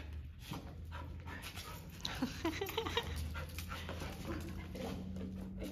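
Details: Golden Retriever puppy at an owner reunion after a 15-day board and train. Rapid breathy panting strokes, with a few short high whimpers near the middle and a steady low hum behind.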